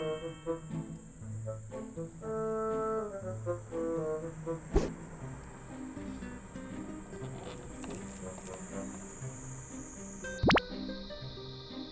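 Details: Cheerful background music with brass-like tones and a sustained high tone, with no animal sounds.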